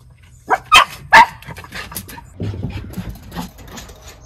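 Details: Two Miniature Schnauzer brothers running between decks upstairs for the best view; a few sharp, loud barks in quick succession early on, then softer scattered yelps and rustling movement.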